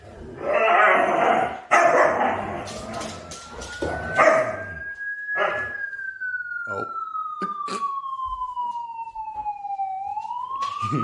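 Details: One of four Siberian Huskies, howling at police siren sounds played from a phone, holds a long, pure howl that climbs, sinks slowly, then lifts at the end; speech, clattering and brief music come first.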